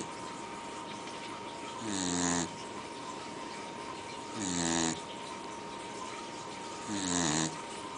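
A Pembroke Welsh Corgi gives three hoarse, grunting groans that fall in pitch, a few seconds apart.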